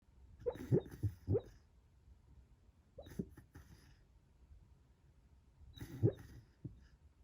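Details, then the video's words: Labrador Retriever making bubble sounds while asleep and dreaming indoors: soft, low, popping bursts in three clusters a few seconds apart, each a quick run of gurgling puffs and snorts, quiet throughout. "Lab Dog makes bubble sounds while sleeping"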